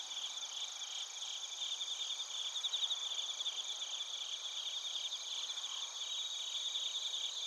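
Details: Chorus of bell crickets and crickets from Narita, Chiba, Japan, taken with a TASCAM Portacapture X8 recorder; continuous high shrill trilling from several insects layered together, with brief brighter ringing bursts near the middle.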